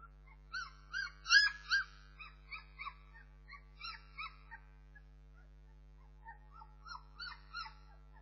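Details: Bernese Mountain Dog puppies whimpering and yelping in a rapid series of short, high, harmonic cries, some rising then falling, clustered in quick bursts with brief pauses, over a low steady hum.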